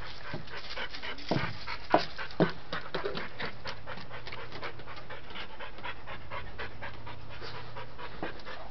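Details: Panting from Dante, a dog who cannot get to his toy: fast, even breathy huffs about two per second, with a few clicks and thumps early on and a low steady hum underneath.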